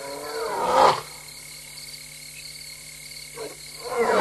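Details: Restless female lion alone at night, 3:15 AM on 26 August 2022 in Tembe Elephant Park, caught by a live camera; one deep roar near the start and another cut off at the end, over a steady electronic-like drone.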